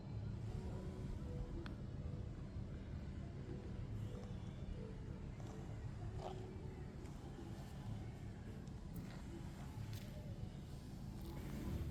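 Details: Steady low rumble of traffic and outdoor noise with faint scattered clicks, and no animal voice heard.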